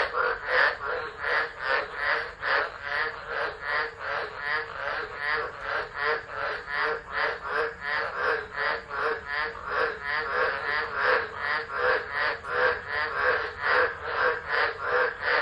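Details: Tropical frogs calling together during a tropical low at Driver, Northern Territory, Australia, 13 December 2013, captured on a phone left unattended; dense, rapid croaking pulses repeat about two or three per second in an unbroken, steady chorus.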